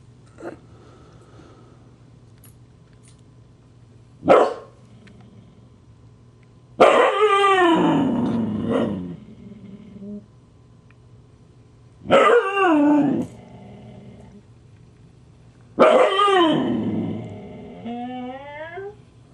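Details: An annoyed Husky, Siku, answers the teasing of the Husky puppy Loki. Three drawn-out, wavering growl-moans slide downward in pitch about every four seconds, preceded by short sharp yips.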